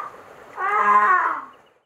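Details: Milo, a male whitecoat grey seal pup rescued from Saunton Sands, Devon, with lacerations, calling in hospital at The Cornish Seal Sanctuary on 26 November 2019: one drawn-out, nasal, wailing cry that swells, holds, then fades.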